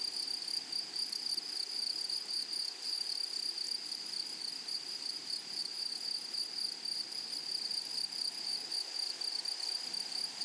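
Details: Grasshoppers in a flowery meadow chorus with a steady, shrill, high-pitched buzz. It holds one even tone with a fainter, higher overtone and fine flickering pulses throughout. No other clear sounds.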